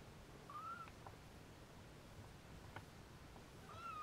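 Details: Restless Siamese kittens settling to nap with their mother Siamese cat, later drinking her milk; two thin, whistle-like mews, one rising-and-falling early on, another near the end, against a soft indoor background.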